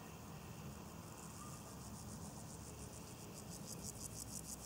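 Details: At Bodenheim, two grasshoppers perched on a leaf; after a quiet opening a fast, ticking rasp of evenly spaced pulses builds and continues to the end, backed by a constant low hum.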